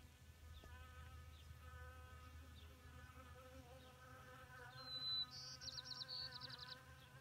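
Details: Several honeybees drink water at a small pond in May 2018, standing on rock and dirt. Their wings give a steady, droning buzz with slowly wavering pitch, and a short, bright bird trill cuts in near the end.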